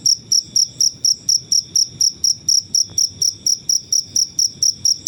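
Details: Cricket chirping in nature, used as training sound for songbirds: a steady series of sharp, very high, shrill chirps, about four per second, each a quick buzzy pulse, with faint low rumble beneath.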